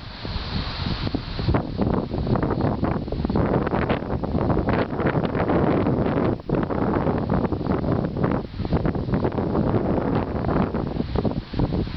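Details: Steady roaring wind buffets the microphone throughout, with no animal voice audible.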